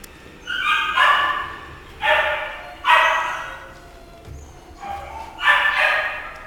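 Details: Shih Tzu barking: five loud, harmonic barks with a slightly falling tone, spaced about one second apart, the last two closer together, over a quiet background.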